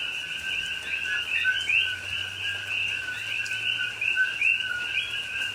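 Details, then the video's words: Night rain in Hawaiian rainforest at Pahoa, October 2021, with a coqui frog chorus: repeated two-tone calls, a lower note then a quick rising chirp, several clearly standing out above the dense background of other frogs and rain. "Hawaii Rainforest Rain and Coqui Frogs Sounds"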